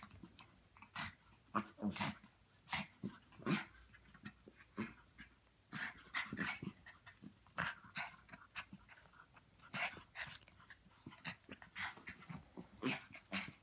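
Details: A Chihuahua and a Pomeranian playing together: a steady run of short breathy growls, snorts and scuffling bursts, irregular and close by, over a faint constant high-pitched tone.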